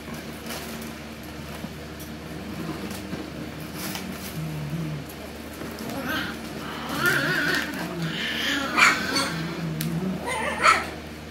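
Alaskan Klee Kai puppies giving high, squeaky whines and yelps over a low background hum.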